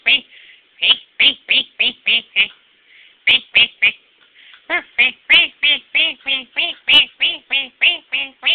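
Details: Pet dog nicknamed the devil dog gives a long series of short, harmonic, quack-like yaps in quick runs broken by brief pauses, roughly three per second, loud and close indoors.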